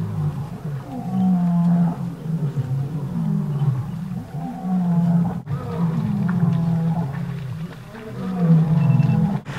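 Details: Lion roaring near the big waterhole at Grassland Safari Lodge in Botswana's Kalahari, June 2013: deep, drawn-out moaning tones rise and fall almost continuously, with brief soft clicks and rustles between them.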